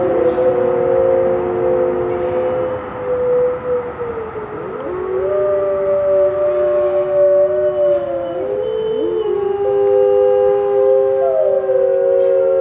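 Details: Several gray wolves in white winter coats at a zoo howl in turns, in long, steady, mournful tones that overlap and slide between pitches.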